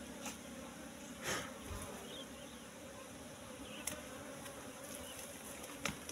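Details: Wild Asian honey bee colony at a nest in bushes, opened for its honey. A continuous droning hum holds steady, broken by a few soft thumps and sharp clicks from handling the comb.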